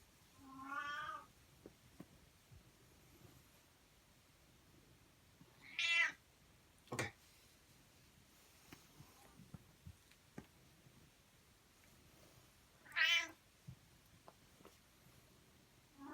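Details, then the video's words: Insistent pet cat calling indoors with three long, wavering meows separated by several seconds of quiet, plus a sharp click and faint rustles between calls. "My Demanding Cat!"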